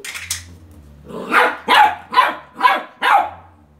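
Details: Beagle puppy indoors barking at a toy car: five high, sharp yaps about every half second after a brief rustle, with a low hum underneath.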